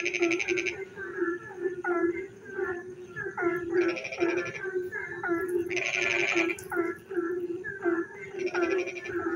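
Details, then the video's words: Night frog chorus during rain: an unbroken low buzzing drone, quick clusters of short curved croaks, and intermittent loud rattling pulse trains high above, the longest near the middle. "frog singing in the dark night when it rains"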